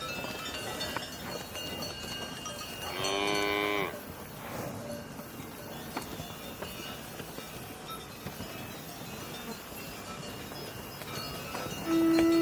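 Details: Cow moo rising out of a hissy, busy outdoor background: one drawn-out, bright lowing call held for about a second, with a second moo just starting at the very end.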